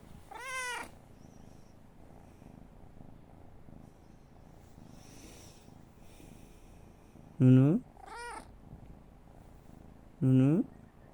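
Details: Pet cat responding when its owner calls its name, giving short, sharp, falling meows, one at the start and a few more near the end, with quiet pauses between them.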